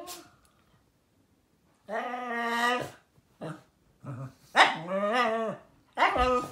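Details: Shiba Inu making a series of loud, tonal, yodel-like whines: a steady drawn-out note, two brief yips, then rising and falling warbling moans ending in another long harmonic cry.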